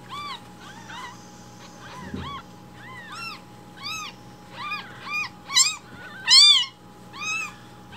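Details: Several rescued baby kittens loudly begging for milk at breakfast time; a busy sequence of high rising-falling mews, growing louder and more insistent, with a brief soft rustle early on and a faint hum.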